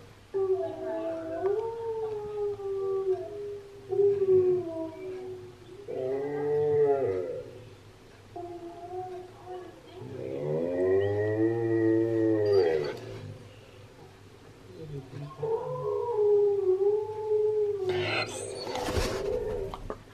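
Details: Husky singing in a session where Key the husky reacts to Steel the husky's singing; several wavering, harmonic howls of a few seconds each rise and fall, separated by pauses, with background music and a voice.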